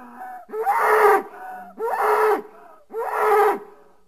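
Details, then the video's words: Three loud, rasping bellows from a bull, each lasting under a second and spaced roughly a second apart, with a rough, breathy texture over a steady droning core, plus brief quiet moans between. "Bull Sounds"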